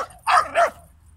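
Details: Greek Jack Russell Terrier puppy hunting a large turtle; two quick, high, yelping barks in close succession, then quiet with low background hum.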